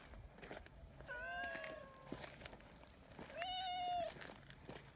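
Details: A brown tabby community cat named Nyahha, who came running anxiously when left a little way behind. Two long, drawn-out meows hold a steady pitch, separated by a short pause, over faint background rustling.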